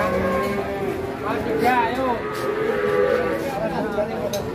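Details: Huge Pegon cattle, a fattened giant known as the concrete-neck, lowing in a short wavering moo with rising and falling harmonics, overlaid by people talking and faint music.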